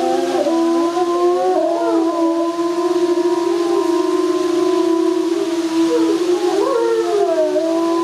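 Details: Several gray wolves at Erlebniszoo Hannover howl together in long, smooth, overlapping tones that slide up and down in pitch.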